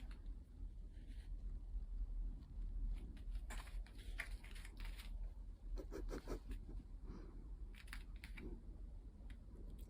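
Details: Quiet room with a deep low rumble and short crisp clicks and rustles like handling or chewing, and no vocal animal sound.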